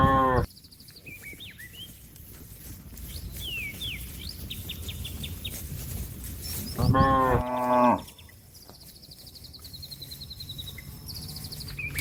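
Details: Cattle mooing to call companions back to the pen: a short harmonic moo at the start and a longer, loud moo near the middle, with thin, repeated chirps and trills from small birds throughout.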